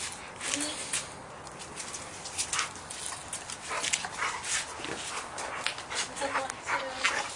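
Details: Rough-playing American Bulldog pups, Mason and his sister at 7 months old, make low rumbling growls and sharp huffs in clustered bursts, with brief whiny tones and people talking faintly behind.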